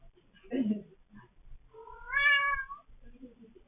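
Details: Domestic cat meowing: a soft low murmur, then one clear drawn-out meow that rises and then falls, with a faint short vocalization at the end.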